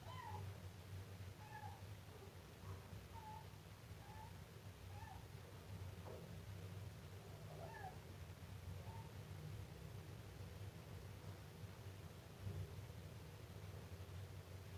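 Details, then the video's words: Siamese kitten meowing: a run of short, thin, high-pitched mews, some rising then falling, repeated about once a second through the first half and then spaced out, faint over a steady low hum. "gato miando filhote siamês"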